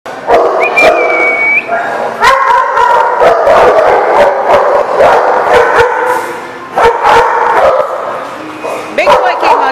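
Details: Dogs barking in rapid, overlapping bursts, several animals calling at once with harsh mid-pitched barks and yips, plus a brief whine; busy, loud and irregular.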